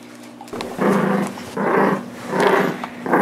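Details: Nine-month-old blue Doberman Pinscher named Nibbler playing tug of war indoors with Biscuit, a 6 lb miniature Shorkie; three long rough growls, each about half a second, rising and falling with brief pauses between.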